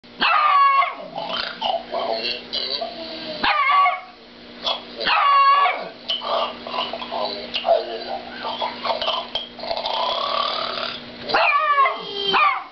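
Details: Dog barking at a snoring cow: loud, harsh barks in quick bursts, several clustered near the start, around four and five seconds, and again near the end, with steady background hum between the volleys.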